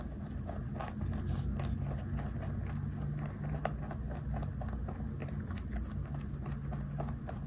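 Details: Pet rabbit of 3.2 kg chewing snacks given to it. Dense, rapid crackling bites with a few sharper loud crunches, all over a steady deep hum.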